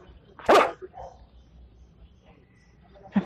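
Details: Belgian Malinois Rambho training for search and rescue of disaster victims with breath scent samples, 19 April 2020: one loud sharp bark, then a second shorter bark about 2.7 seconds later, quiet in between.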